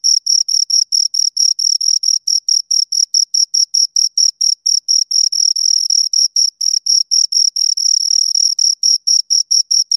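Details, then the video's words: Two crickets produce a continuous, high, ringing chirp sequence, short metallic pulses following one another quickly and fairly evenly, occasionally merging into longer bursts; no background noise. "Two Crickets Chirp Sounds"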